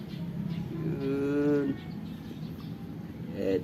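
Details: Persian and Siamese house cats waiting to be fed give a single sustained, even-pitched meow lasting under a second, followed by a brief higher mew at the end, over steady low background hum.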